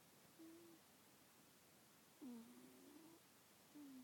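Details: A house cat with a congested nose snores while asleep, giving faint whistling nasal tones, a short one, then a longer wavering wheeze, then another brief whistle, over steady low hiss.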